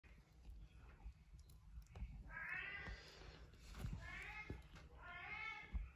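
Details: Tiny Devon Rex kittens playing indoors; three rising-then-falling mews sound about every 1.5 seconds over a low rumbling background with soft knocks.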